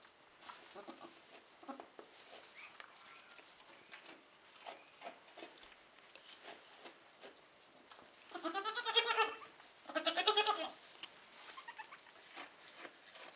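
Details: Nigerian Dwarf goat doe with triplet kids, two doelings and a buckling, just hours old, 2015; two loud, quavering, harmonic bleats about a second apart late in the clip, after a stretch of soft shuffling and small clicks.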